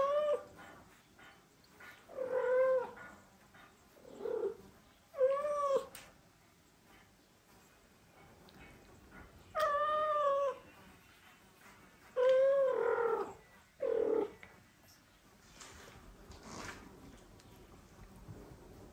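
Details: Domestic mother cat, back with the father cat after living apart, carries a kitten to him and keeps meowing; about eight clear harmonic meows, some rising then falling, in bursts separated by short pauses, quiet room.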